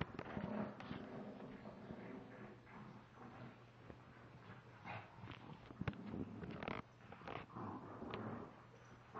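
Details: Two dogs, a 32 lb male Shiba Inu and a 23 lb female pug, play-fighting indoors in a tug of war; rough growls, snorts and scuffling bursts run throughout, broken by sharp knocks and thuds.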